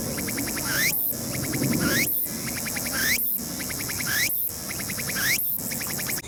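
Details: Early autumn on Mt. Ino's summit, Fukuoka Prefecture, 21 September 2022, sunny: a Tsukutsukuboshi cicada repeats rising buzzy sweeps, each followed by a string of rapid pulsed notes and a brief pause, about once a second, over faint low rumble.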